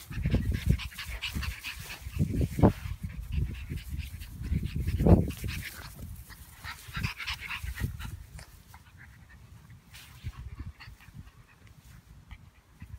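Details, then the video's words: French Bulldog puppies at play, giving low grunts, growls and snorts in irregular bursts, strongest around two and five seconds, then fading to soft snuffles after about eight seconds. "French Bulldog Puppies Playing"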